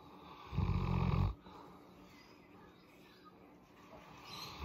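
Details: Molly, a Boerboel dog, during a head massage she loves: a single loud, low rumbling breath lasting under a second, deep and snore-like, then quiet breathing and faint room noise.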